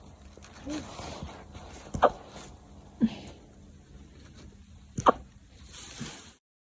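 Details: A 9-week-old corgi puppy hiccups, giving short, abrupt clicks spaced a second or more apart.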